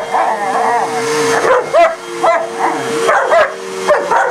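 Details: German Shepherd, kept with a shepherd/husky mix, barking at a vacuum cleaner it is attacking; a few harsh, rising yelping barks spaced irregularly over the steady droning hum of the running vacuum.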